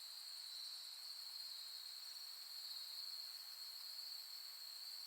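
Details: Autumn insects calling on a late-August night in 2021 at Soni Highland, Nara, Japan, among pampas grass under the Milky Way: a steady, unbroken high trilling chorus with a bright main tone and fainter shimmering layers above, no other sounds.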